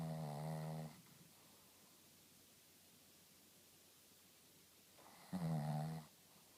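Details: Shih Tzu named Rintaro snoring: two loud, nasal, harmonic snore bursts, each under a second, about five seconds apart, with quiet room hiss between.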